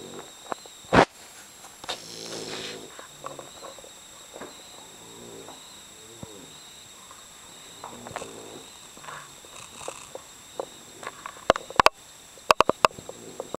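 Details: Sleeping bulldog snoring very loudly indoors: rattling, pulsed snore bursts roughly every two seconds over a steady background hiss, with a few sharp clicks and knocks.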